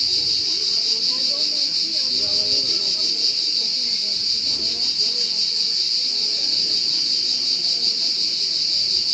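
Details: Shrill insect trill from a cricket, fast-pulsed and perfectly steady for the whole stretch, with a dim low rumble of background murmur.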